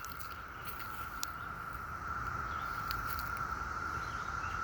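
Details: Many live cicadas, climbing on trees and fence posts among numerous dead carcasses, hold one steady, droning chorus note that swells slightly and never breaks.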